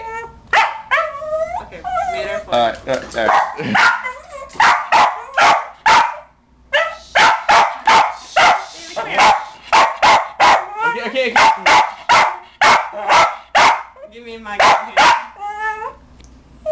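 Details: West Highland White Terrier, a pet dog indoors, barking in frantic bursts at the cover song "Pony" on the radio: rapid sharp barks, several per second, with pauses, while the owner speaks soothingly over them.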